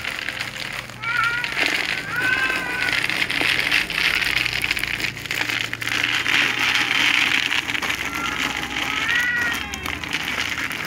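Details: Little cats, among them a ginger and a silver cat, meowing pitifully at meal times; a few short arched meows come and go over loud hissing noise and rustling.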